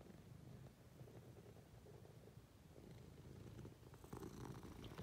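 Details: Munchkin cat purring affectionately while climbing onto its owner in bed; a steady low rumbling purr, pulsing rapidly and continuously throughout, with faint rustling of bedding near the end.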